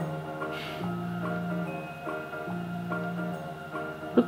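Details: Gentle background music of marimba and glockenspiel tones repeats in a soft melody, with a faint click near the end and no animal voice.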